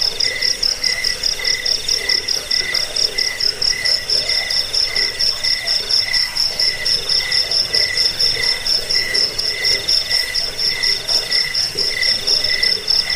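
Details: Cricket chorus meant to drive away rats, lull listeners to sleep and train birds: a continuous piercing high trill layered with rhythmic lower chirps, about two a second, from several insects.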